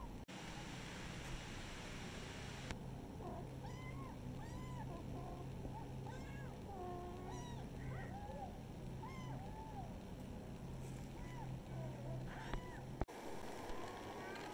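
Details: Village pet kittens meowing: a quick run of short, high, arched meows, about a dozen over eight seconds, some overlapping as if from more than one kitten, over a steady low hum and background noise.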